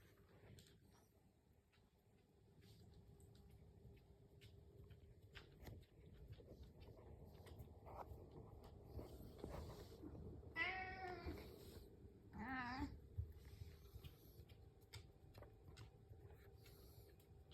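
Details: Indoor house cat waiting for breakfast, its purring said to be nonstop: a low continuous rumble underlies the recording, then two wavering, harmonic meows arrive near the end, the first longer, the second short and bending.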